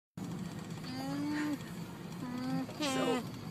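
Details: Alpaca Gia, objecting to a ride in a minivan near Seattle, US, gives three drawn-out nasal humming moans, steady in pitch with a slight fall at the end, over the low rumble of the moving van.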